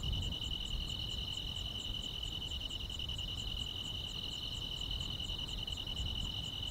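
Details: Grass insects on a summer night: an unbroken shrill trill with a fainter layer of very high, regular pulsed chirps, steady throughout against low background noise.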